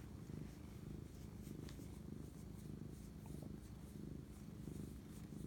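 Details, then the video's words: Cat purring at night, 11:07 pm, March 25, 2019, during a bonding moment with its owner; continuous deep rumbling purr with even pulses about every half second, faint high rustling in the background. "spirit animal bonding asmr cat purr"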